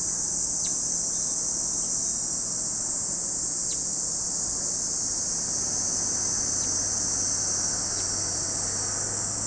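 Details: Chorus of cicadas at Lake Kamo, Sado City, Niigata Prefecture, Japan, a constant shrill buzzing wash, with a few brief sharp chirps cutting through about every couple of seconds and a faint low hum below.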